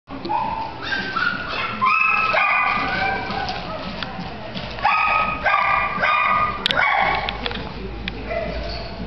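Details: Chihuahua yipping rapidly: a steady run of high, thin, clipped yaps and short rising squeaks, some overlapping, at about four per second, with brief human voices in the background.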